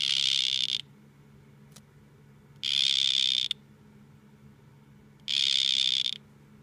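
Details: Buzzing trills from two male dart frogs in a face-off: three dense, even bursts of about three-quarters of a second, spaced roughly two and a half seconds apart, with a quiet low hum between them.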